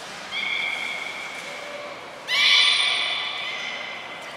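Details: Belugas at Port of Nagoya Public Aquarium during a training session with all animals taking part, 2 April 2023: steady whistled tones at two pitches, then a sudden harsh, whinny-like burst of layered tones fading over two seconds, with a thin high tone briefly.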